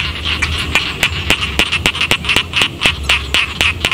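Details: A dense frog chorus from rice paddies in a quiet village, with sharp clicking calls repeated about four times a second over a steady high trill.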